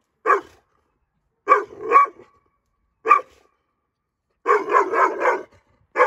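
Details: Female Dogo Argentino aged nine months barks at strangers in short sharp single and double barks, ending with a rapid run of three or four barks, silence between.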